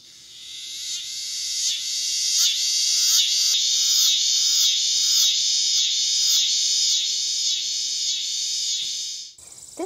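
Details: In August, around a yard, a scissor-grinder cicada (Neotibicen pruinosus), an annual cicada, sings a loud, high, rasping buzz that pulses rapidly in a steady rhythm.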